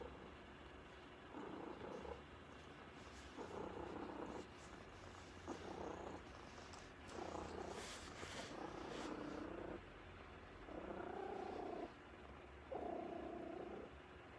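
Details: Cat purring steadily, a low rumbling hum in bursts of about a second separated by brief pauses, some seven breath cycles, with a faint background hiss throughout.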